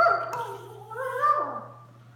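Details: Sunday, a small female Doberman, plays with her Mastiff mix sister; a drawn-out, wavering whine-moan that rises midway and then slides down, with a steady low electrical hum underneath.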